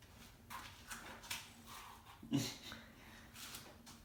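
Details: Indoor kitten wanting to go outside on a rainy day, clinging near the feet of someone trying to leave; a run of short, thin high mews about every half second, a duller low thump midway, faint room noise.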